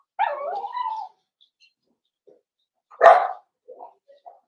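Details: Indoor puppy pen where Cavalier King Charles Spaniel pups meet familiar adult dogs: a wavering, tonal whine lasting about a second, a pause, one loud bark, then a few short quiet yips.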